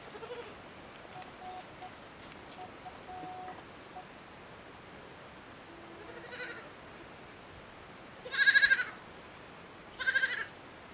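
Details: Miniature goat kids enjoying the sun on a farm: two loud, wavering, tremulous bleats close together near the end, preceded by a few faint, shorter bleats in the background.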